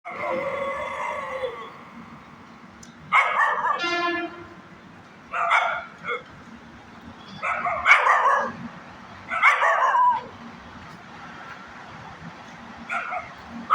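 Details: Small puppy dog barking and yipping in short harsh bursts about every two seconds, opening with a drawn-out whiny tone and a quick rattling series, against a low steady background hum.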